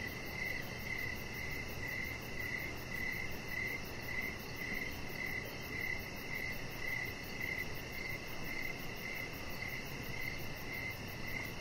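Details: A steady evening cricket chorus near a deck: crisp, high chirps pulse rhythmically about twice each second, while soft broadband noise and a low hum fill the background.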